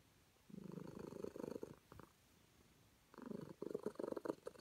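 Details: Happy calico cat purring while petted, two vibrating rumbles over a second long each, the second one louder and more pulsing, with a short pause between them.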